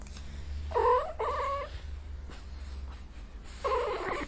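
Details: Angry domestic cat letting out a strained two-part yowl, a short break, then another harsh drawn-out call at the end; low rumbling background noise throughout.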